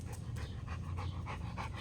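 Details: Panting female Rottweiler catching and chasing a ball during exercise; fast, even huffs of breath repeat roughly three times a second under a low background rumble, with no other clear sounds.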